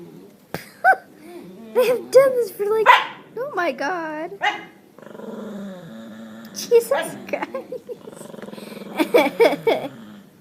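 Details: Domestic dog making weird, wavering howl-like whines that slide up and down in pitch, mixed with bursts of people talking and exclaiming nearby.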